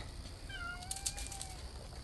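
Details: Cat in a garden on 8 June 2020, giving a faint drawn-out meow lasting about a second, its tone rising slightly then levelling, over a low background hum with brief clicks.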